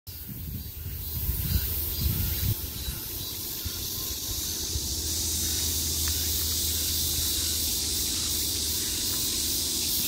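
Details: Cicadas buzzing in summer, heard from all sides: after a few seconds of low rumbling and handling noise, a dense, steady high-pitched hiss settles in and holds evenly to the end.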